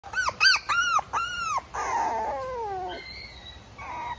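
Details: Female Mame Shiba puppy, described as fairly quiet, gives four short arched high whines in quick succession, then a longer wavering whimper that slides downward, ending with a few faint thin squeaks.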